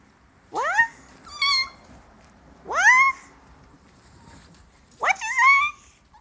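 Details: A white Siberian Husky talking indoors: three rising, whiny vocal calls, each sweeping upward with bright harmonics and a wavering yodel-like tail, spaced about two seconds apart, with a person's voice nearby.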